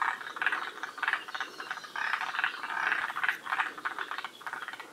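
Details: Forest green tree frogs calling as a group at Shiriya, Aomori, Japan, among the northernmost populations: rattling croak bursts roughly every half second over a continuous chorus, louder in the middle.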